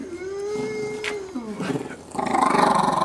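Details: Border Terrier being cuddled after a long work week gives a long steady moaning whine that slides downward, then a rough, pulsing growl-like howl. Indoors, with a few soft human voices.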